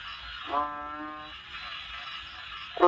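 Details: Banded bullfrog giving one drawn-out, low, moaning call of about three-quarters of a second, richly harmonic and steady in pitch. The start of a second call cuts in at the very end over a constant background hiss.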